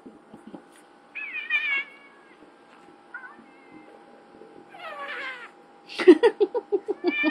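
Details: Domestic cats Ziggy and Chino fighting: drawn-out wavering yowls with rich harmonics rise and fall, then a burst of rapid pulsed growls, about three per second, closes the exchange in a quiet indoor setting.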